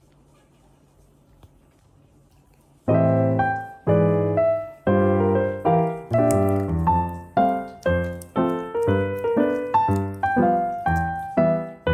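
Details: A few seconds of quiet hum, then a lively electric piano melody plays in repeated chords.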